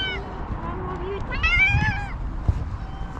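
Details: One of two hungry cats, a fluffy calico and a ginger, asking for food: a thin low whine, then a brighter rising-falling meow, with a person speaking softly nearby and a low background rumble.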